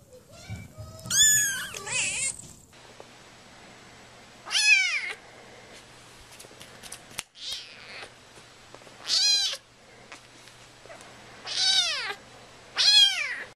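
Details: Domestic cat meowing: five loud, high, drawn-out meows with rising then falling pitch, spaced a few seconds apart over a quiet indoor background with a faint low hum.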